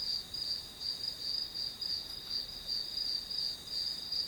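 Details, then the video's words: Grass insects chirping for a study-with-me session: short, shrill, evenly spaced pulses of high buzzy song, about three a second, against a quiet still background. "풀벌레 소리"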